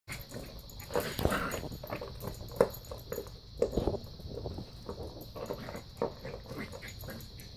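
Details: A 13-week-old Cairn Terrier puppy playing with a soccer ball gives short, soft whimpers and yips among thumps and scuffling noises.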